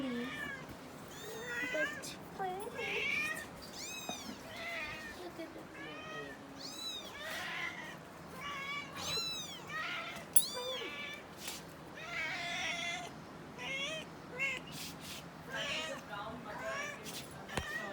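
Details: Four-week-old kittens learning to walk beside their mother, giving frequent high, rising-and-falling meows, several overlapping in quick succession, with a faint voice underneath in a small indoor room.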